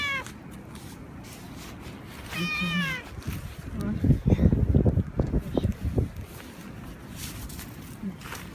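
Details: Male cat in heat, rubbing against someone vigorously, gives a single drawn-out wavering meow, followed by loud rustling and rubbing noises and faint voices.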